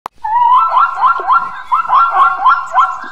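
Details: Zebra braying: a rapid series of rising, barking honks repeated roughly twice a second for three seconds, each note carrying strong harmonics, in an otherwise quiet setting.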